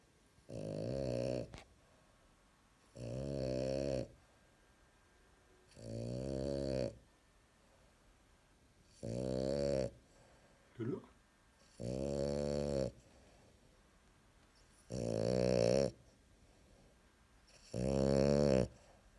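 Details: LuLu, a French bulldog, snoring loudly indoors: seven long, rasping, buzzy breaths come roughly every two and a half to three seconds, each a rough rumbling burst, with one short snort between them and quiet in the gaps.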